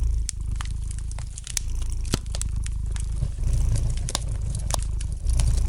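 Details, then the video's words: Domestic cat purring gently beside a fireplace: a steady, low rumbling hum pulses throughout, overlaid by sharp, irregular crackles and pops from the burning fire. "Relax to the gentle purring of the cat and the light crackling of the fire in the fireplace!"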